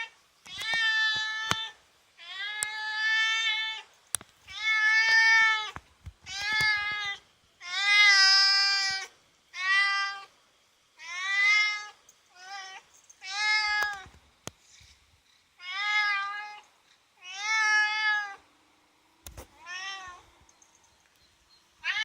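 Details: Indoor cat wanting to catch a cicada beyond the window, meowing insistently: about fourteen short, whiny meows in quick succession, some bending upward, with occasional faint clicks between calls.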